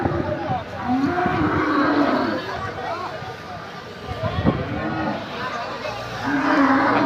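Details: Large cattle at a crowded Eid al-Adha cattle market in Bangladesh: drawn-out low moos rising and falling at start, middle and end, over constant crowd chatter and a man speaking Bengali.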